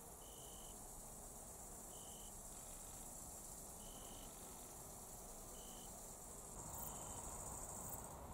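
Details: Italian tree crickets (Oecanthus pellucens) sing soft, pure "zrü" or "drü" trills of about half a second, irregularly spaced, unusually by day in early September, in a clearing at forest edges in Austria's Raaderwald.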